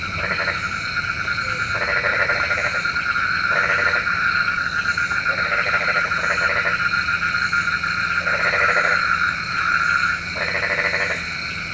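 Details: Frogs at night, said to call rain, giving rattling pulsed croaks in bursts of about a second, repeated every one to two seconds, over a steady high ringing chorus of other night callers.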